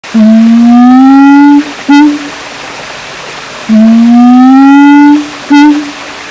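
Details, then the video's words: Siamang, also called kera gondok, at Kyai Langgeng park in Magelang, Indonesia; long loud tonal notes slowly rising in pitch, each lasting about one and a half seconds, each followed by a short clipped note, repeated twice. "suara asli siamang kera gondok"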